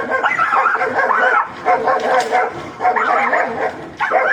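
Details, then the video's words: Agitated angry dogs barking and snarling: a dense run of loud, harsh barks and yelps that overlap continuously, with brief dips before the barking resumes. "Dog barking | sound | Animal sound effect | angry dog"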